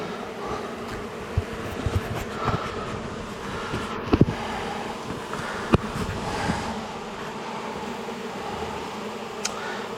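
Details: Colony of honey bees roused during a cutout from a house wall on a dark evening, the bees angry and pouring out; a thick, even droning hum throughout, dotted with light clicks and taps.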